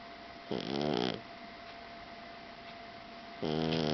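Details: Blue Persian tomcat asleep indoors, snoring: two harmonic, nasal snores about 0.6 seconds each, roughly three seconds apart, over a steady low hum.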